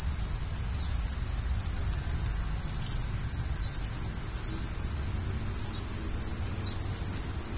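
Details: A nighttime chorus of crickets keeps up a bright, continuous trill, and short dropping chirps come at uneven intervals of roughly one second.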